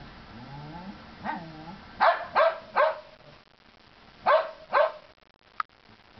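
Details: Chihuahua and Norwegian Elkhound playing together in the snow during the Big Freeze of 2010: soft whining at first, then sharp barks in two bursts, three quick barks then two more, ending with a click.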